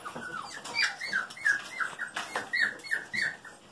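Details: Golden Retriever puppies, female littermates just over five weeks old, indoors; a run of short, squeaky whimpers rising then dipping, about three a second, with a woman talking softly and faint rustling.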